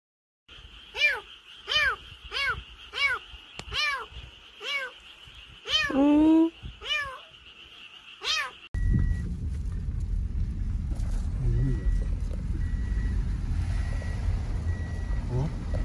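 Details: Rescued kittens, found crying after falling into a dark drain or after crying for hours in bushes: high, arching meows repeated about every half second for eight seconds, one longer louder cry near the end, then steady rumbling noise.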